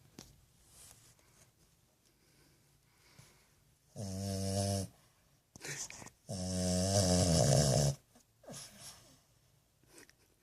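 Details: .French bulldog puppy asleep and snoring: two long, harsh, rattling snore breaths of one to two seconds each, with softer snuffling breaths around them in a quiet room.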